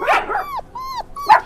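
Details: A dog gives a short harsh bark, then two tonal, whine-like yelps that each bend in pitch, with brief quiet gaps between them.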